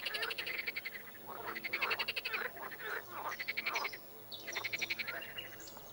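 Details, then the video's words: A frog croaking, sometimes in a chorus and sometimes alone: four rattling trills of rapid pulses, each about a second long, with short pauses between them and faint background calling. "Звук или как квакает лягушка"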